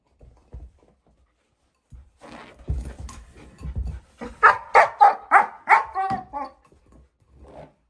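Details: A 4-month-old female German Shepherd puppy playing with her bowl gives a quick run of short, yelping barks and whines after some low thumps.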